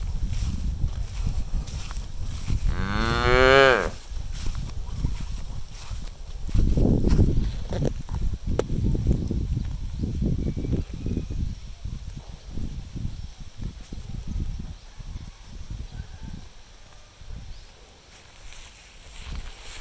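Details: Farm cows released onto an empty rice field to eat grass; a loud drawn-out harmonic moo near the start, then long stretches of low munching, rustling and hoof noise fading quieter toward the end.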